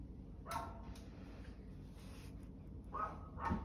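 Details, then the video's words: Dog barking, one short harsh bark near the start followed by two more in quick succession near the end, over a steady low background hum. "barking dog"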